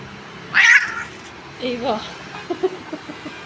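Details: Domestic cat being groomed with a comb, giving one sharp high meow followed by a woman speaking Turkish, with faint clapping-like taps near the end.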